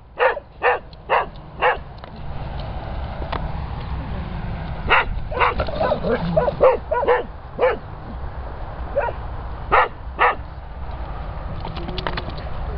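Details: Springer Spaniels in rescue kennels barking, four clear barks at the start, then a busier stretch of overlapping barks from several dogs over steady kennel hum, more isolated barks near the end.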